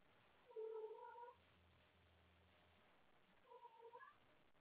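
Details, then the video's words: Pet cat calling late at night for a playmate after playing with toys: two short meows separated by about three seconds, with a low steady hum between them indoors. "Wendy wants to play late at night!"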